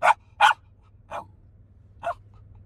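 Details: Shiba Inu reacting to mountain goats in Banff National Park, Alberta, Canada: two loud sharp barks in quick succession followed by two softer, shorter barks, over a faint low hum.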